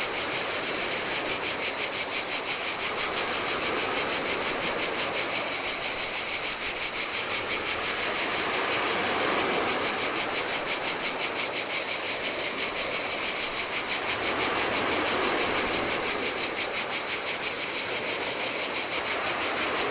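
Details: Cicadas singing in the heat beside the Adriatic Sea on a deserted Greek island beach: a dense, steady, buzzing chorus pulsing in fast regular throbs, with a soft wash of surf rolling on the sand underneath.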